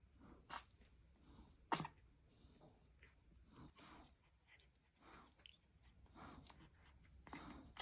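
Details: Newborn blue Staffordshire Bull Terrier puppy lying milk-drunk on its back after feeding, with littermates, gives one tiny sharp sneeze near the two-second mark, a brief broadband burst. Soft snuffling, breathing and small squeaks follow in a quiet indoor room.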